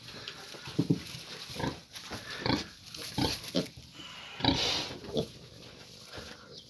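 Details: Fourteen-day-old piglet giving a series of short, rough, low grunts, roughly one every second, with brief pauses between bursts and a steady background hiss.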